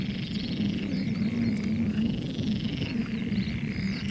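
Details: Frogs in the Biesbosch, Netherlands, said to be enjoying themselves: a dense, unbroken chorus of low rattling croaks, with thin high bird calls above it.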